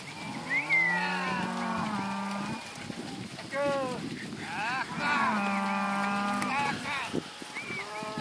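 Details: Penned lot of Red Angus heifers and Angus-type cows mooing, long level low bellows lasting about two seconds alternating with shorter higher rising and falling calls from other animals, overlapping across the herd.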